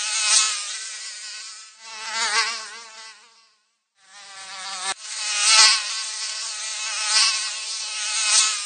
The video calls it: 🎵 모기 날아다니는 소리 🎵 5분 듣기 🎵 ASMR ★ 모기 소리를 듣고 싶을 때, Mosquito flying sound